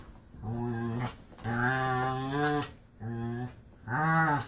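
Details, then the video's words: Playful pit bull vocalizing during a romp with a foster brother, Marley: four long, tonal, groaning moans with rich harmonics, the second stretched over a second, often likened to a Wookie. "Marley plays with his foster sister (she sounds like a Wookie!)"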